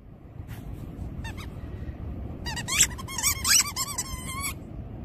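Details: Labradoodle excited while digging in sand, giving a burst of high, squeaky whines and yelps that crowd together after a few isolated squeals, over low outdoor rumble.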